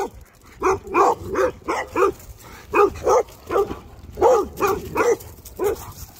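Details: A guard dog gives a string of short, evenly spaced barks, roughly two per second, each sharp and mid-pitched, with quiet gaps between.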